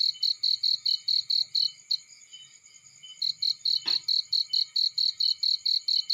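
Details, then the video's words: Cricket calling in a field next to a fire. Steady high chirps pause for about a second and a half, then resume after a single sharp crackle from the fire. Faint low rumble throughout. "Warm Relaxing Fireplace In Field || Burning with Cricket Sounds"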